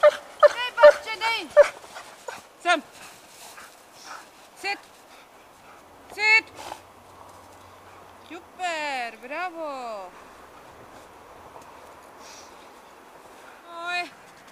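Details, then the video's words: Two Giant Schnauzers, Alba of Heart and Heart Boy Radinie, enjoying a winter walk: an opening burst of rapid yips, scattered single yelps, then a run of long downward-sliding whines, with a person speaking commands between them. "Riesenschnauzer veliki šnavcer Alba of Heart happy winter"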